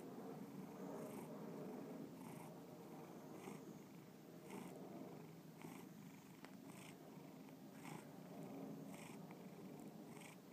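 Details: A pet cat purring steadily indoors, a continuous low rumbling hum with regular soft pulses of breathing about once per second, close and clear with no other sounds.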